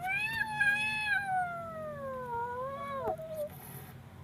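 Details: Scared kitten making one long continuous wail that holds steady, then slowly sags lower before breaking off into a short bent tail, with faint low background hum.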